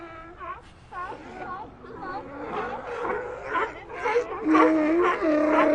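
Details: Sea lions in a colony give short wavering calls that bend up and down, starting sparse and growing into a louder, sustained chorus of crying, moaning voices toward the end.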